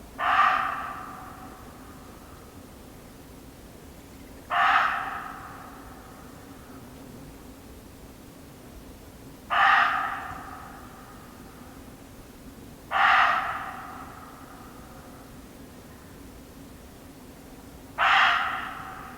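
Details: Repeated barking of a muntjac deer in an English nature garden: five loud, rasping barks spaced roughly every four to five seconds, each sudden and quickly fading, over a quiet constant hum.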